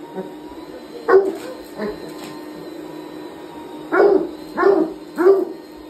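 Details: Hound dog sounding off at a vacuum: two brief yelps, a pause, then three quick howling barks in a row, with the steady mechanical hum of the vacuum throughout.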